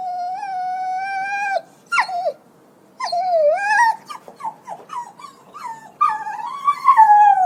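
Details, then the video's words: A puppy yelps and whines: a sustained high whine breaks into a fast, irregular burst of short sliding yips, roughly three per second, then ends with a long wavering wail. "Puppy yelping sound effect"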